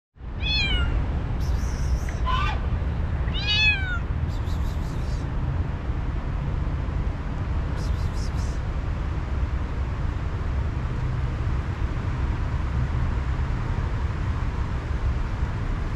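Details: Tortoiseshell kitten giving three short, high meows within the first four seconds, each sliding down in pitch, then quiet except for a steady low rumbling background and a few faint clicks.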